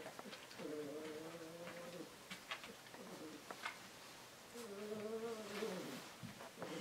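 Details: Husky puppies, drinking water for the first time, give two drawn-out whines, each about a second and a half, that rise slightly and then fall. Light clicking and lapping sounds fill the pauses.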